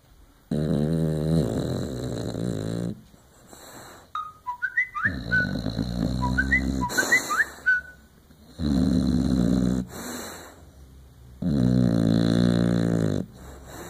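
An English Bulldog snores in long, rough, rumbling breaths separated by pauses.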